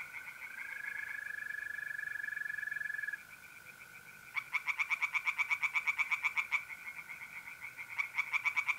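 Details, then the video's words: Tree frogs singing from a pond on a mid-April night in North-East Italy: a steady high whistling trill of mole crickets for three seconds, then bursts of rapid, harsh, evenly pulsed frog croaks rattling over the continuous cricket tone. "singing tree frogs in pond"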